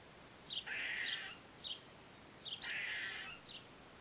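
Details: Eastern gray squirrel recorded with a Nikon D3500 camera and Tamron 500mm lens: two long, harsh, buzzy rasping calls, each flanked by short sharp chips, about two seconds apart over a quiet background.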